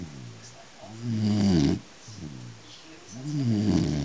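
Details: Beagle asleep, snoring in rhythm: three rough, buzzy snores with wavering pitch, each under a second, separated by quieter breaths, in a small quiet room.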